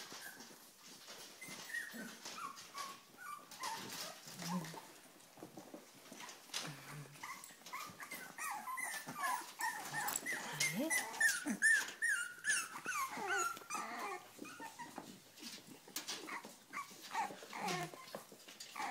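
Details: Several Cavalier King Charles Spaniels, worked up and eager to eat, whimper and whine in overlapping high, thin notes over nineteen seconds, mixed with scuffling, clicks and a woman's voice.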